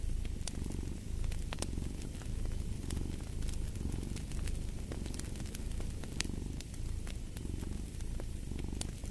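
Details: Low, continuous cat purr rising and falling in regular breathing cycles of roughly a second and a half, mixed with frequent crackling snaps from a wood fire nearby.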